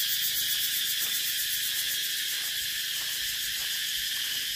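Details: Cicadas give a continuous, shrill, high-pitched buzzing drone that holds at a steady loudness throughout, with a faint shimmering pulse in the texture and scattered soft clicks underneath.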